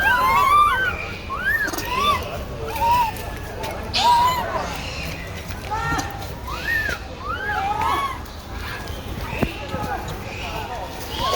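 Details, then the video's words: Baby monkey crying loudly beside its brother after losing its mother, trying to find her: a steady run of high, arched, rising-then-falling wails, several each couple of seconds, with background rustling and occasional knocks. "Pity Baby Monkey crying loudly vs brother to find mom"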